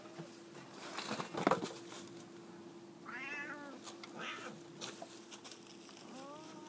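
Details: F2 jungle cat hybrids, a pair on a jungle gym, with short, moderately loud meows after a thump, the first arching and wavering, another brief, and a final rising-then-falling call, over steady low hum and faint taps.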